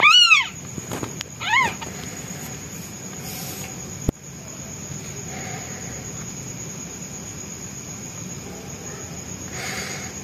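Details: Hungry newborn white kitten calling for its mother: two arched, harmonic meows in the opening two seconds, then a sharp click and mostly quiet low hum with faint noise.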